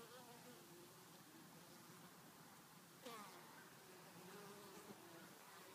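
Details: Wintertime honey bees flying back with pollen in January make a continuous soft droning hum, with one brief sharp knock near the middle and light crackling clicks.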